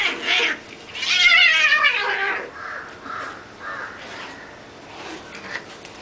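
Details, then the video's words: Cats fighting, unedited: a loud, harsh, wavering yowl that swells and then slides down, followed by several shorter, lower moaning wails. "Cat Fight Part 3 Unedited"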